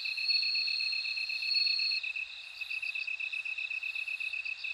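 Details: Bell cricket: a bright, sustained, ringing tone for about two seconds, then breaks into quick, evenly spaced high chirps over a constant pulsing insect background.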